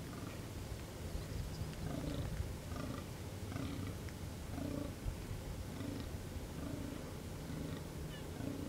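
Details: A fallow deer buck groans during the October rut, deep belching grunts repeated about once a second, calling to win as many does as possible while rival bucks fight.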